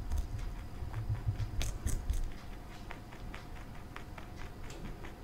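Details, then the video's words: Pet male bunny Marshmallow eating broccoli indoors: quick crunchy bites in a dense cluster early, then softer, sparser chewing clicks over a steady low hum. "Bunny Eating Broccoli"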